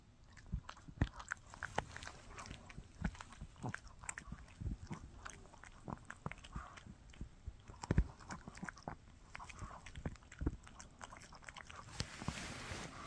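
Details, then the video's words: Shih Tzu named Mikki gnawing on a no-hide bully stick indoors: irregular wet clicks, crunches and soft smacking bites scattered throughout, with a faint steady room hiss. "Shih Tzu Chewing on a Bully Stick"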